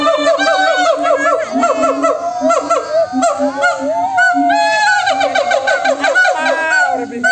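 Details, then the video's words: Monkeys calling to each other in a dense chorus, with quick repeated low hoots, sharp rising and falling whoops stacked over one another, and a long gliding rise in the middle, many voices mixing. "suara monyet yang saling bersahutan"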